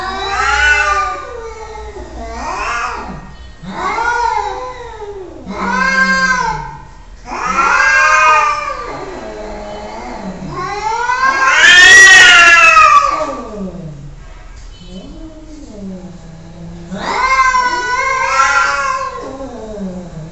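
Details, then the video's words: Cats giving long loud drawn-out meows and caterwauls, each rising then falling, repeated about every two seconds, with one harsher strained cry near the middle. "Annoying Cats sounds"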